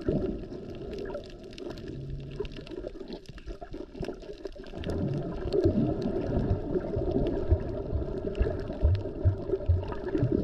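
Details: Humpback whale heard underwater while snorkeling off Maui over President's Day weekend, in peak whale season with moms and calves around; a short low steady moan, then wavering mid-pitched moans, beneath constant bubbling and gurgling water noise.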